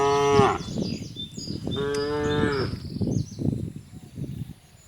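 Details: Tame village cattle descending to a countryside field: a moo cutting off, then one more long lowing call, followed by rustling and shuffling hoof-like noises with faint bird chirps above.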